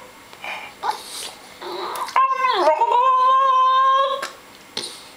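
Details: French Bulldog, 7 months old male, gives a drawn-out, wavering whine that dips then holds steady, complaining about not getting enough treats.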